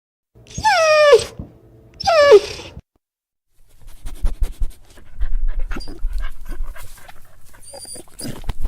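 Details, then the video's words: A dog crying sadly gives two drawn-out, falling whines in quick succession, each sliding down and rich in overtones. Quiet rustling and shuffling noises follow, with a brief high tone near the end. "Som de Cachorro Chorando | Choro Triste de Cachorro | Choro do Filhote"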